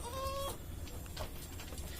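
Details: Goat in the pen of a pioneering breeder of Etawa crossbred goats in Dongko subdistrict, giving one short, steady, flat bleat of about half a second, then a low rumbling background with faint pen noises.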